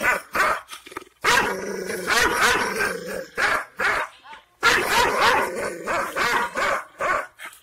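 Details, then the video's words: Angry Kangal shepherd dog of the Aksaray Malaklı type barking in quick, harsh bursts with short gaps, a steady droning tone in the background and faint voices. "Aksaray malaklisi Kangal çoban köpeği Anadolu aslanı vahşi hırçın kızgın köpek havlaması urmesi sesi"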